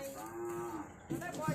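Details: Calf among a batch of fifteen being handed over at Rattanawapi district, Nong Khai province, Thailand, gives one long steady droning moo lasting about a second, followed by a woman speaking Thai.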